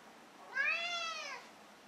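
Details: A cat gives one clear meow lasting about a second. It is rich in harmonics, rises slightly, then eases downward, against a quiet, steady background.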